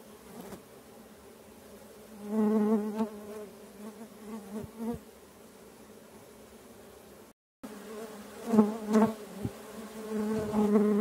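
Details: Stingless bees moving around several colonies in a keeper's meliponary, with no spoken words. Repeated short buzzing passes come in bursts over a constant low hum, with a brief gap of silence midway.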